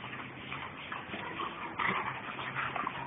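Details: Two German Shepherds named Captain and Samantha playing hard; muffled whining and yipping rises over a noisy background, with a brighter burst near the end of the short stretch.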